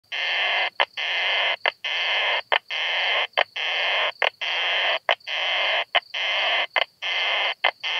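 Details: Krauss's bush-cricket (Isophya kraussii) singing at Solnhofen, Germany, on 17 June 2021: loud broad hissing bursts, each about three-quarters of a second long, separated by short silent gaps with brief clicks, repeated steadily throughout.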